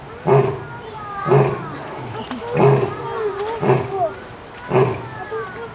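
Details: At Zoo Atlanta, apparently recorded 25 October 2022, a lion gives a series of deep, grunting roars, each about a second apart, with voices faint behind.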